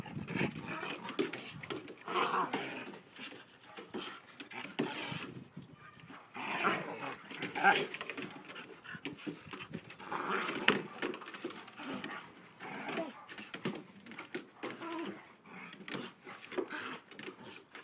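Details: Alaskan Malamute and a Malamute cross locked in a fight, giving harsh, low growls and snarls in dense, uneven bursts for many seconds, while human voices break in now and then.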